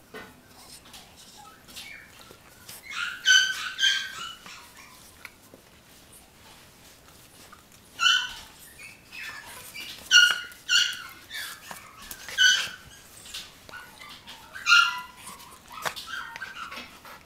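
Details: Puppy giving high, squeaky whines and yelps in bursts at about three, eight, ten, twelve and fifteen seconds, with quiet rustling between.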